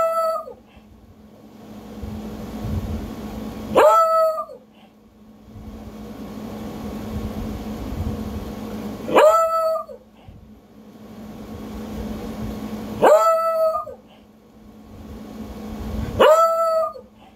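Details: A male Beagle howls, giving short, harmonic-rich baying howls every few seconds, each sliding and then holding steady.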